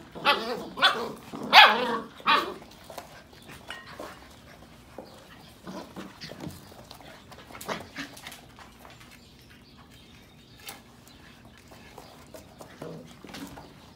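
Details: Sheepadoodle puppies from the Pepper and Cocos litters of 2020, playing, give a quick run of sharp high barks and yips at the start, followed by scattered softer yips and rustling.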